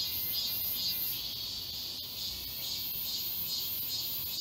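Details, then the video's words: Many cicadas singing together in the woods of Galsan Park, Seoul, in midsummer; a continuous shrill buzz swelling and fading in quick regular pulses, with a thin steady tone and light ticks underneath. "여름 자연의 소리. 매미울음소리."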